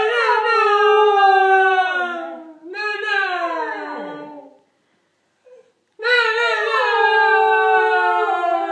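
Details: A male Pembroke Welsh Corgi howls on cue when the word "no" is repeated, giving long, harmonic-rich, wavering tones that slide downward, then after a brief silence howls again, steadier at a similar pitch.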